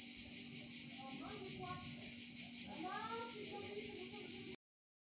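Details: Shrill, pulsing cicada buzz in Provence, steady and high, overlaid midway by a few rising and falling human voice sounds, cutting off abruptly near the end.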